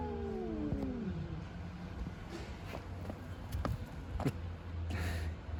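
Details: Cats fighting and making strange noises: one drawn-out, wavering yowl slides steadily downward in pitch over the first second and a half, followed by low traffic rumble, footsteps and scattered sharp clicks.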